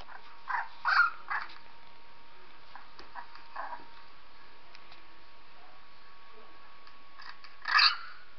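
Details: Female dog Purdy responding to the recorded sounds of a 3-week-old puppy: three quick whining yelps at the start, a softer whimper midway, and a final sharp, louder whine near the end, with a faint steady hum throughout.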